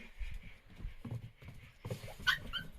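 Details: Pet dog busy playing at Junglee Resort near Rajaji National Park forest. It gives a short high whine and yip among low thumps and scuffling, with soft voices nearby.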